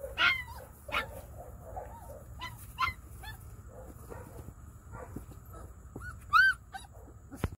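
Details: A Treeing Walker Coonhound and Great Pyrenees mix dog gives a few sharp, high yips and whiny cries, one clear rising-falling whine near the end, spaced by quieter rustling and small whimpers.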